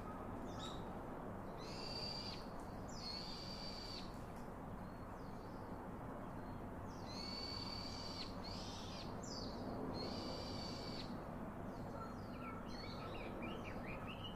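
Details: Monkey; infant call; baby calling its father for comfort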